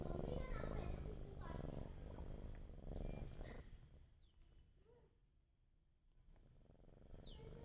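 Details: Sleeping cat, hungry for food, gives a low throbbing purr for the first few seconds with a voice over it, then the rumble fades to near quiet, broken by two short high descending squeaks.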